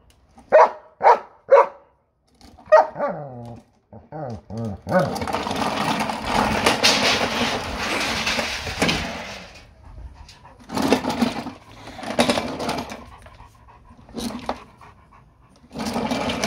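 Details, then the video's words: Major, a German Shepherd, barking at a lawn mower: a quick run of five loud barks over the first three seconds, then long stretches of loud rumbling noise broken by gaps, with more noise bursts later. "German Shepherd's arguing with lawn mower"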